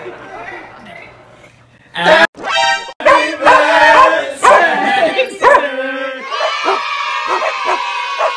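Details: Rescue Puggle, a pet dog, joining in as people sing Happy Birthday: loud, drawn-out harmonic howls and yowls with bright overtones, broken by brief gaps, then a long wavering sung note, over human voices.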